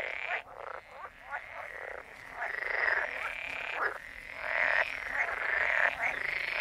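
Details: Chorus of croaking frogs, overlapping raspy pulsed calls running almost without break, swelling and fading as different callers join in.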